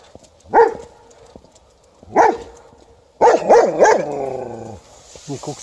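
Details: A White Swiss Shepherd barks even before seeing an Alaskan Malamute: loud, tonal barks, two single ones and then a quick run.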